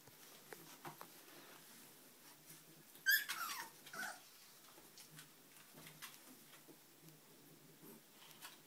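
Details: Puppies: one brief, high, sharp yelp-like squeal about a third of the way in, then a shorter whine a moment later, with faint scattered clicks and scratching throughout.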